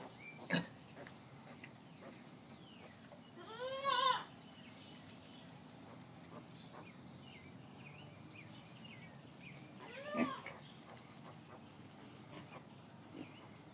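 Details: Squeals from Gracie the sow and her newborn piglets, less than 24 hours old: a short high arching squeal near four seconds and another about six seconds later, after a sharp click at the start, over quiet background hiss.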